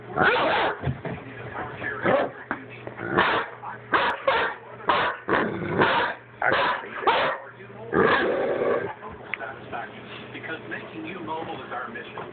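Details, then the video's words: Doberman described as vicious, reacting after being called crazy: a string of harsh, rasping growl-barks in short bursts, some clustered closely and others spaced a second or more apart, with a longer snarling burst near the end. "Vicious Doberman"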